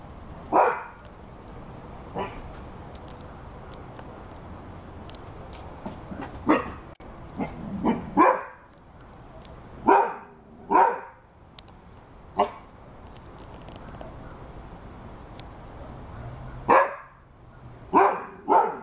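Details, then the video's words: Rhodesian Ridgeback dog barking in scattered bursts, single deep barks and short doubles with irregular pauses of one to four seconds between them, over a quiet background. "Rhodesian Ridgeback dog barking"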